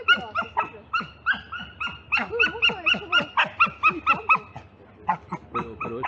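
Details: Six-month-old Beagle puppy playing at a dog park in June, filmed on an Insta360 camera: a steady series of short, high, yelping barks, roughly two per second, with a brief pause near the end.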